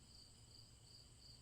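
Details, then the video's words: Repetitive cricket chirps meant to aid relaxation before sleep: four sharp high pulses evenly spaced over a low background hum. "Crickets Chirping"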